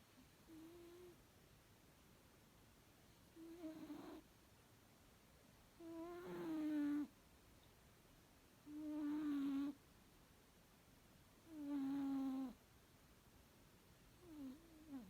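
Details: Domestic cat named M-san snoring while sleeping comfortably at bedtime: tonal, droning snores near a low hum with faint overtones, one roughly every three seconds, some longer and louder than others, with quiet pauses between.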